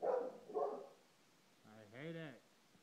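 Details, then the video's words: Indoor dog barking at a clock at 7:30: two muffled barks in quick succession, followed by a man speaking. "Dog barks at clock"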